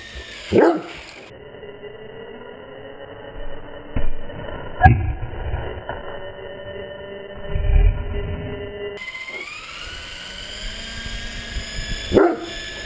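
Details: Great Dane playing with an RC helicopter: two deep single barks, near the start and the end, with a steady high whine from the toy's motor and brief rustles between.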